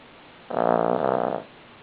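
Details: Cavalier King Charles Spaniel Buddy snoring in his sleep, a single strong drawn-out snore with a rapid fluttering rattle, then quiet.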